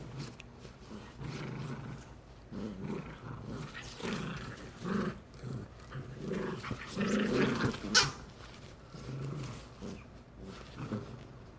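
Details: A brother-and-sister pair of poodles at play in a friendly tug game; uneven throaty growls and grunts come in short bursts, with a sharper peak near the eighth second.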